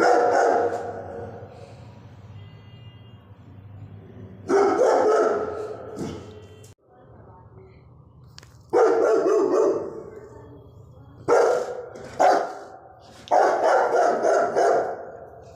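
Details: Rajia, a pet Rottweiler guard dog at home, barking: loud, deep barks come in short bursts of one to three, about five bursts spread unevenly, with quiet gaps and a low hum between them.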